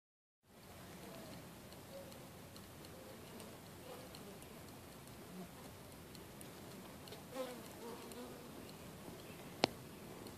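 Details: Western honey bee (Apis mellifera), wing buzz.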